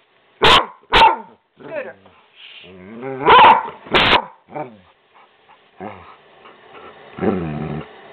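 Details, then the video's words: Skooter, a pet dog talking back and refusing to be quiet, lets out a pair of barks, then two more after a pause. Grumbling vocal sounds and a woman's voice fill the gaps. "Skooter talking to him mommy!"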